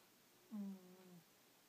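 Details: Angela, a pet cat, snores in her sleep indoors. One low, soft, droning breath begins with a sharp onset and holds a steady buzzy tone for about two-thirds of a second before fading. The room is otherwise quiet.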